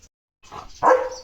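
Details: Leo, a German Shepherd on a village farm, on morning guard duty, barking at cattle, vehicles and dogs; a brief soft rustle, then one short, loud, full-throated bark that quickly fades.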